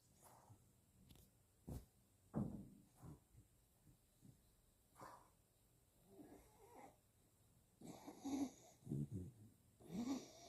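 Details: A Bichon Frise snoring while asleep: rough, snorting breaths come in irregular bursts roughly every second, with a few wheezy, slightly tonal snorts growing louder toward the end.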